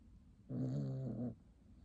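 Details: Sleeping tiny puppy giving a single low, droning snore of nearly a second, steady in pitch with a rough buzzy texture, against faint background hiss.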